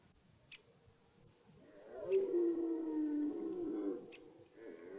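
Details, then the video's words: Start of the red deer rut in German woodland: a stag gives one sustained, throaty harmonic roar lasting about two seconds, fading then briefly resuming, with faint clicks around it. "Die Hirschbrunft beginnt"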